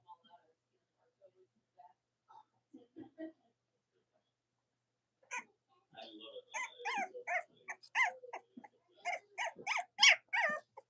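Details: Cavalier King Charles Spaniel puppies from the litters of Robin and Myra, on a chilly late-October Monday morning in the US: faint scattered peeps, then dense rapid high squeals and whines with bright harmonics crowding the second half.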